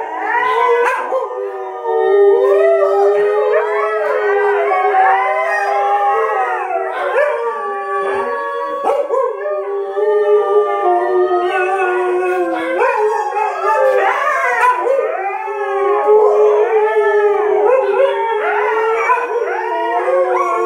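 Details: Siberian Husky howling together with other dogs, several voices overlapping in long wavering howls that rise and fall, sustained through the recording with brief dips, a steady low tone underneath.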